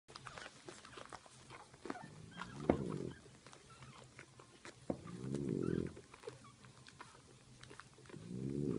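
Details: French bulldog mother napping while breast-feeding her puppies; low, rough snores of about a second each, irregularly spaced, with soft clicking and small rustling noises between them.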